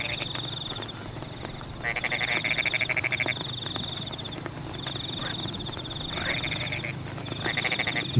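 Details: Frogs in Pematang paddy fields calling while rain falls; loud bursts of rapid pulsed croaks lasting about a second each, several overlapping, above a continuous high trill and soft rain hiss.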